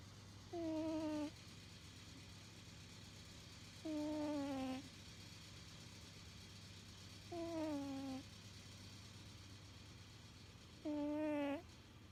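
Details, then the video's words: Sleeping house cat snoring, a habit it shows whenever it naps. Four thin, whistling notes that sag gently in pitch repeat about every three and a half seconds, steady like breathing, against a soft background hum. "코골이 고냥이"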